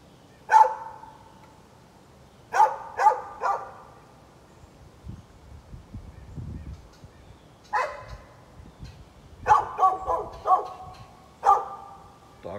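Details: A neighbour's dog barks at birds on 13 November 2020. It gives a single bark, then a quick triple, then a long pause with faint low rumbling. A later burst of several barks comes close together.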